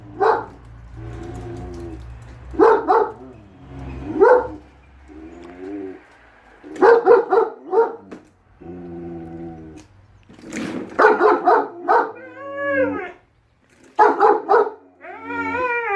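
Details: Husky Shira and German Shepherd Enzo, the latter convinced the lawn mower is evil, trade loud barks and long, bending yodel-like howls, the barks in clusters and the howls rising and wavering between them.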